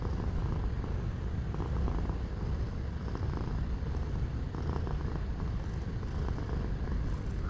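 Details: Pet cat purring for relaxation: an unbroken, even low rumble with rhythmic pulsing, nothing else standing out above the gentle background.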